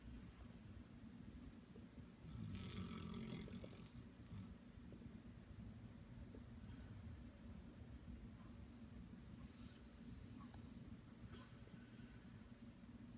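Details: A sleeping bear, dreaming, snores in low, rough rumbling breaths that run steadily through the recording and swell into a louder, gravelly burst early on before settling back to a quiet, continuous drone.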